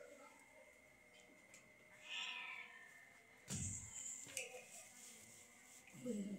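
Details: A sick cat being given treatment by madrasa girl students, letting out a faint, brief meow against a noisy background with voices and a few sharp knocks nearby.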